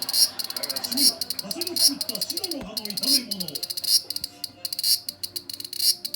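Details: Large brown cicada on 1 September 2020, giving a dry, grating high buzz broken into fast pulses with brief pauses and louder swells. Lower wavering sounds, possibly voices, run beneath the insect noise.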